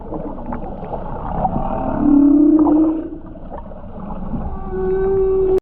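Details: Underwater humpback whale song from the sea around Japan's Ogasawara Islands, 29 January 2022, recorded while skin diving: murmuring low grunts, a swelling mid-pitched moan, then a clear sustained hum at the end.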